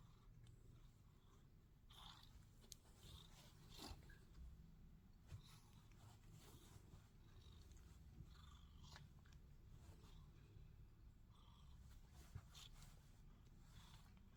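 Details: Sphynx cat. A Sphynx cat gives a deep, continuous purr, a soft throbbing rumble that barely rises or falls. Faint clicks and small rustling sounds come through close by.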